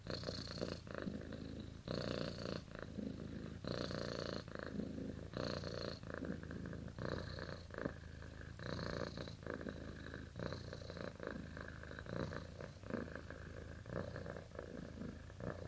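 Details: A sleeping domestic cat, dreaming, keeps up a long rumbling purr, with airy breath surges roughly every one and a half to two seconds; louder early on, softening later.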